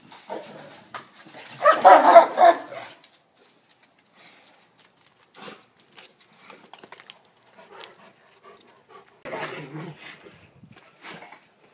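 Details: Alabai (Central Asian Shepherd Dog) during a mating ritual: a loud, harsh, broadband vocal burst near two seconds, then scattered soft clicks and rustles, and a second lower, rougher burst around nine to ten seconds.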